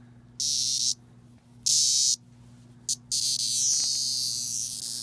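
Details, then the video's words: Handled Magicicada septendecim, the 17-year cicada emerging in a swarm, screams when touched: three harsh high buzzing bursts of about half a second each, then a longer continuous shrill buzz, over a faint low electrical hum. "The Screaming 17 Year Cicada"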